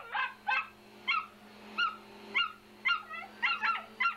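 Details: A pet dog, a female, barks angrily at a vacuum cleaner indoors: short, sharp, high-pitched yelps repeated roughly twice a second over a steady low appliance hum.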